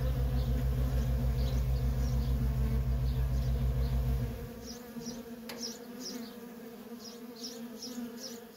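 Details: Worker honey bees buzzing busily at a feral colony; a deep pulsing hum cuts out after about four seconds, leaving the bees' drone and short, bright bird chirps repeating overhead.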